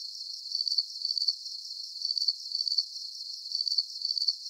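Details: Crickets give thin, sharp chirps in uneven groups, bunches of rapid pulses rising above a soft constant high buzz, with short quieter pauses between groups.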